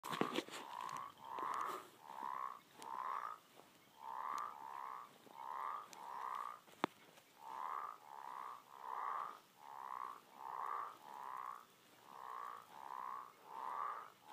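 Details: American bullfrogs calling in a steady series of short, deep, throaty croaking notes, about nineteen in fourteen seconds, grouped in twos and threes with brief gaps, plus a few sharp clicks and knocks.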